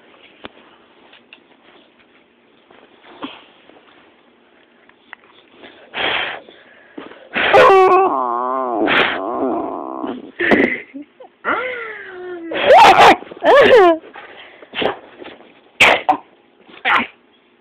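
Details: Zues, a pet puppy, howling after being deliberately upset by its owners: quavering, wavering howls and whines in several bursts over about eight seconds, broken by short sharp yelps, with quiet gaps between.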